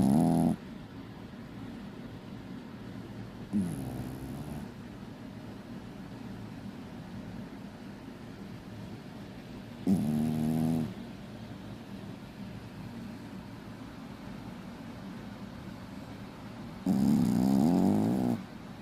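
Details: Puppy asleep and snoring: four loud, grating snore breaths spaced unevenly over the recording, separated by soft, steady background breathing.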